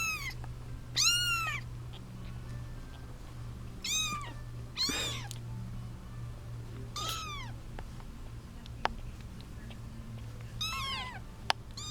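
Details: Litter of eight kittens, seven girls and one boy, squabbling over their eight-month-old mother; repeated shrill, down-curving mews, often in quick overlapping pairs, every two to three seconds, with a constant low electrical hum and occasional clicks.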